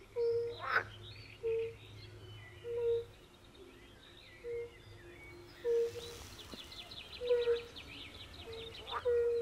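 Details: European fire-bellied toads in a chorus by a forest pond: soft, low, tonal 'oop' notes, each short and level, about seven in ten seconds. Higher bird chirps and a pulsed trill from other frogs, probably pool frogs, are heard in the background.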